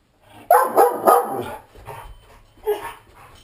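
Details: Giant Schnauzer alone indoors, aggravated and attempting escape via a sliding glass door: a loud run of three gruff barks followed by a softer trailing bark, with low rumbling noise beneath.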